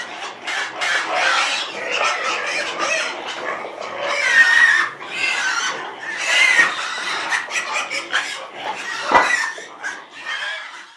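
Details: Domestic pig squealing in a dense, continuous run of harsh, high, noisy cries, with brief louder bursts around the middle and short gaps between squeals.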